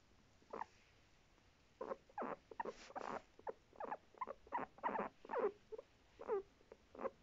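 A guinea pig gives short, gruff barking squeaks in an uneven series.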